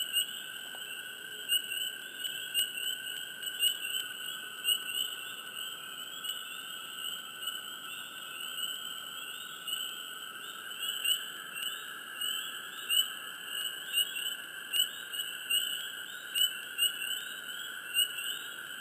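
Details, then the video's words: Close swamp frogs give frequent short high chirps, irregular and sometimes in quick pairs. They sit over a constant two-toned whining chorus that fills the background throughout. "Frogs,Chirps,Close,Hush,Swamp Sound Effects"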